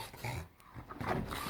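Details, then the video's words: Enzo, an English Bulldog, plays on a couch and makes odd Gremlin-like sounds: a brief burst of rough, low growling grunts with breathy noise, cut off after a moment's pause, then resuming. "Bulldog making weird sounds looking like Gremlin"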